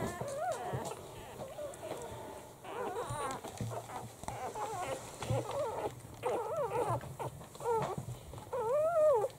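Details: A litter of seven Italian Greyhound puppies, a week old and from a first litter, gives drawn-out nasal whines that rise and fall, arriving in bursts with short quiet gaps, the last one long and wavering.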